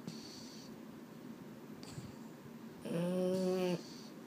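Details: Male Boston Terrier snoring at bedtime indoors: one low, buzzy, rasping snore lasting just under a second, with a few faint rustles and small creaks before it in a quiet room.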